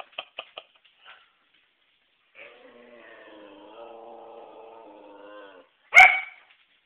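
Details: Whippet denied the trash can: a few short clicks, then a sustained, wavering harmonic whine lasting about three seconds, ending with one loud sharp bark.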